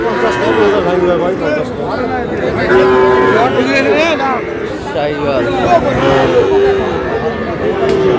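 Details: Several short, even-pitched moos from Sahiwal bulls and calves at the opening of Aftabganj cattle market, Dinajpur, 11 July, spaced a few seconds apart beneath constant haggling voices and crowd babble.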